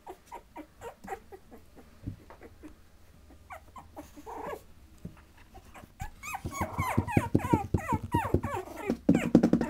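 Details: Patterdale Terrier puppies, 20 days old, playing and brawling together; soft scattered squeaks at first, then a dense burst of overlapping yelps, whines and growls in the last few seconds.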